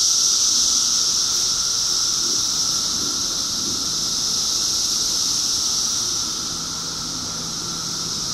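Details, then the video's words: A 2013 cicada chorus rings as an intense continuous high whine, steady with a slight fade partway through, over faint low rumble. "2013 Cicadas"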